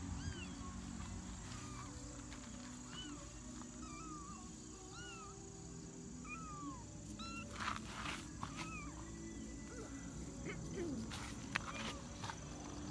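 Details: Twenty-day-old kitten, recorded 2017-09-18, giving a long run of thin, high mews that arch up and fall, several per second in loose bursts, over steady low rumbling background noise and a few sharp knocks.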